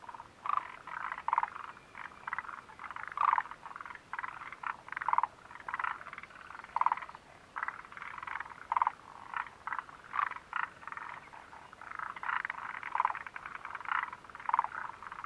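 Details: Frogs near the Mitsuishi refuge hut on 29 June 2013 keep up a steady, rhythmic croaking, with rattling bursts roughly once a second and quieter overlapping callers filling the gaps.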